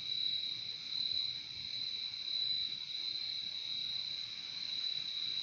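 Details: Crickets in a nature recording: a dense, unbroken high-pitched trill held at a steady pitch, with a fainter lower band beneath it and gentle swells in loudness throughout.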